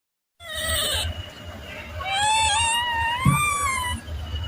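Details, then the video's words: Kitten mewing: a thin, wavering high cry rising slowly over about two seconds, preceded by a brief shriller squeak, with a low steady hum in the background. "Suara anak kucing"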